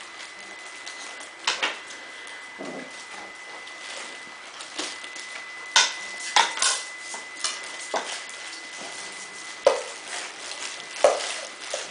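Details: Indoor knocks and clinks, like dishes or objects tapped together at irregular moments over a faint steady hum, with no animal voice.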